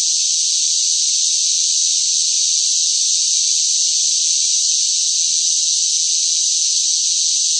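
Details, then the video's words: Cicadas crying in the heavy heat of summer: a constant piercing buzz, high and hiss-like, sustained at an unchanging loudness, with no background sounds. "뜨거운 무더위 속 시끄러운 매미 울음 소리"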